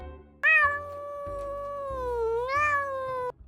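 A domestic cat gives one long, drawn-out meow that sags slightly in pitch, then lifts before ending.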